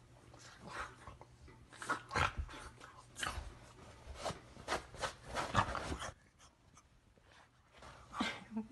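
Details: A Boston Terrier snorts and grunts in short, breathy bursts, with a brief whine-like tone, during his morning routine of rolling around and playing.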